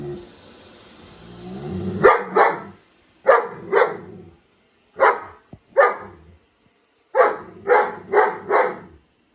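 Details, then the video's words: German Shepherd indoors reacting to a robot vacuum, barking in short bursts of paired and triple loud barks after a quiet start with low hum, pauses between groups. "German Shepherd meets Robot vacuum"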